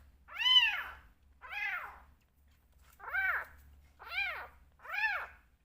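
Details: Bottle-fed rescue kitten, one of two remaining, calling for milk and attention: five clear, evenly spaced meows, each rising then falling, about one per second, over a faint low hum.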